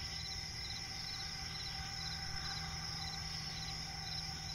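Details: Night chorus of crickets in a swamp forest, a steady unbroken high-pitched ringing with soft fast-pulsing trills woven through it, plus a constant low hum and rumble underneath for the whole stretch.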